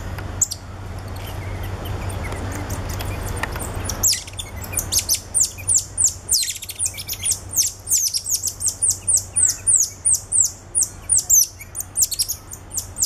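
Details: Captive cotton-top tamarins filmed at Alma Park Zoo, November 2013, with two ten-day-old babies carried on their father's back: shrill, high descending chirps that grow into a fast, steady volley of short notes after a brief rustling start.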